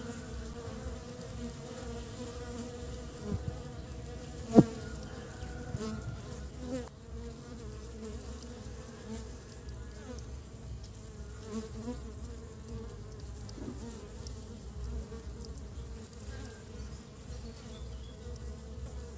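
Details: In early spring, honey bees carry pollen home for nest building, producing a steady, even hum of many wings throughout, with one sharp click early on and a faint low rumble beneath.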